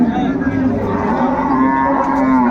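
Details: Cattle at Ambari Haat market, Dinajpur, Bangladesh, 21 March 2025: a steady, even-pitched low lowing holds across the short stretch while people talk nearby.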